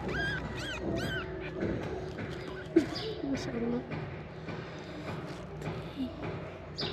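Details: Stray mother cat being helped by street-cat feeders gives two clear rising-and-falling meows in the opening second, then a person speaks softly while rustling and handling noises fill the rest.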